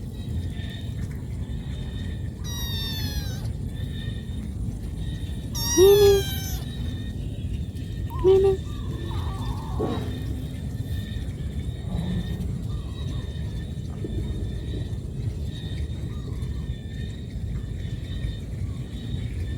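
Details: Cat calling its mother because it needs food: a few thin, high, wavering meows, one near three seconds and another near six, heard over a steady low rumble and background hiss.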